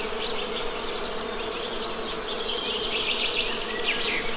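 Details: Even droning hum from honey bees, with bird chatter rising to a dense high twittering burst toward the end.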